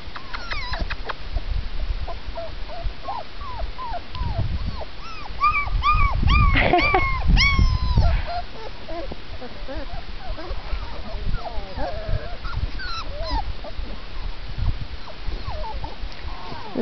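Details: Several 4-week-old Labrador Retriever puppies making thin, high whimpers and squeaky yips scattered irregularly throughout, some brief rising squeals clustered mid-way, over a steady low rumbling background.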